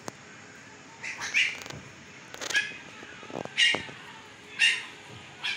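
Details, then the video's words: Fifteen-day-old Siberian Husky puppies in Pakistan, eyes just opened: high nasal whines and squeals about once a second, interspersed with clicks and rustling. "Jay-c puppies are 15 days old today and they have opened their eyes l eyes color is blue"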